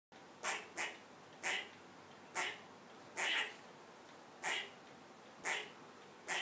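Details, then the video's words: A squirrel, perched up high after a cat came into a yard, raising the alarm: about eight harsh, broadband barks at uneven intervals, some paired closely, over a steady hiss of background noise. "ALARM SQUIRREL!"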